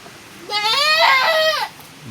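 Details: Goat bleat from a domestic goat that has just given birth again in the rainy season; one drawn-out, wavering, nasal cry about a second long, rising then sliding down at the end, over a quiet background.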